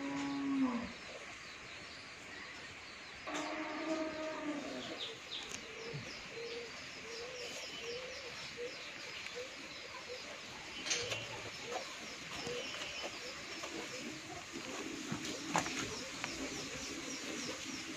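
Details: Sixteen-month-old Holstein Friesian heifer offered for sale at a dairy farm in Bhangura, Pabna, Bangladesh. A brief low falling moo opens, then a longer, richer moo follows a few seconds later, with steady bird chirping throughout.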